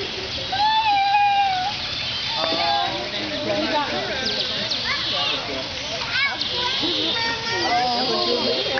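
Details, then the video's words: Asian small-clawed otters in an enclosure at the Atlanta Zoo, 2006, giving high, thin squeaks and quick chirps, some steady whistled notes and others sharply rising or falling, over the constant chatter of visitors and children. "Otters squeaking"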